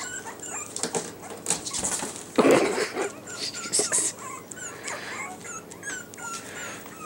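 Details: Yorkie puppies, among them a blue-collared troublemaker and Hope in light blue, give short yips and whines amid loud rustling and knocking handling noises.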